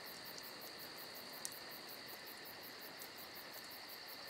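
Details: Crickets on a summer night, a steady, dense high chorus with fast pulsing chirps and a continuous shrill trill. Faint campfire crackles, one sharp pop midway.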